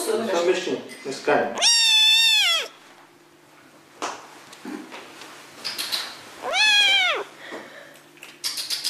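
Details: Attention-seeking kitten gives two loud, high, arched meows about five seconds apart, with soft clicks and rustling in between, indoors.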